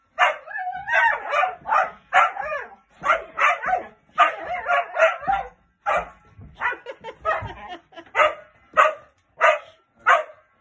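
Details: A golden cocker spaniel playing with a giant bouncy ball gives a run of short, high, yappy barks, some quick and clipped, others slightly drawn out.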